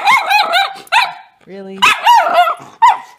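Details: Miniature schnauzer puppy in a morning temper tantrum, making 'bark-speak': rapid, yodelling, rising-and-falling whiny barks in quick succession, with a brief low hum in the middle.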